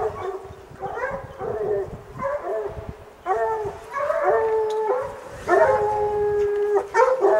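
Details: Hounds bay up a mountain lion cornered in rocks, long drawn-out howling bays with stacked harmonics, several dogs overlapping, sustained notes up to a second and a half, rising in loudness toward the end.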